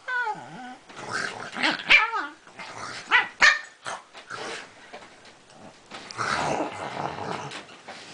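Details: A Pekingese, presented as a talking dog, gives a falling moan and short bent yelps. These give way to rough growling and noisy scuffling while people speak and cheer.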